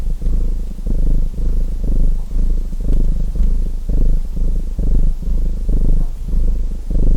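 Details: Continuous low purr of a domestic cat, pulsing in rhythmic surges with each breath, softly backed by a crackling chimney fire.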